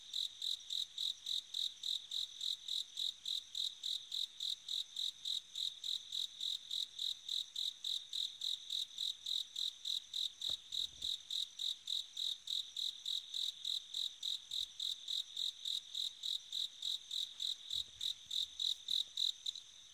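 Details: On an autumn night, a bell cricket calls with evenly spaced, high tinkling pulses, roughly three or four per second, in a long unbroken train; a few faint low thuds appear near the middle and end.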